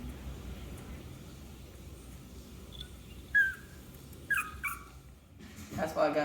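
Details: Clover, a six-week-old male Yorkshire Terrier puppy who has just eaten and wants to play, gives a few short, thin, high whining notes, each under a second, over quiet room noise and a woman talking.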